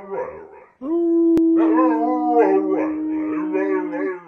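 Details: Nine-year-old male Carolina Dog, adopted from a shelter, gives a steady, level howl of about two and a half seconds, tonal with bright overtones, after a short wavering vocal opening; a person speaks affectionately nearby.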